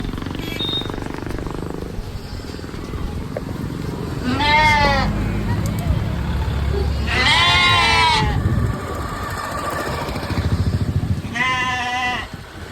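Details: Sheep and lamb bleating: three loud, wavering harmonic bleats around four, seven to nine, and eleven to twelve seconds, over steady low rumbling background noise.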